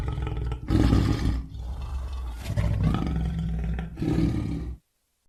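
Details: Lion roaring: deep, rumbling roars rich in low harmonics, delivered in three loud bursts over about four seconds, the middle one longest, then an abrupt cut to silence.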